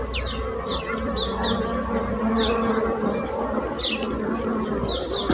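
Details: Low, even drone of bees humming throughout, joined by scattered high bird chirps and short whistled notes over the buzz.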